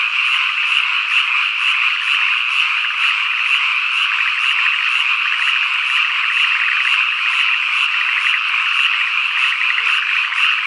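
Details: Rural summer evening in Ikusaka village, Nagano, Japan: cicadas keep up a dense shrill drone while frogs give repeated rapid croak bursts and a high chirp sounds steadily about twice a second.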